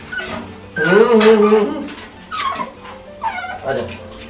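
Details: A black pug puppy gives drawn-out whiny whimpers and short squeaky cries during its first bath, with some music faintly behind.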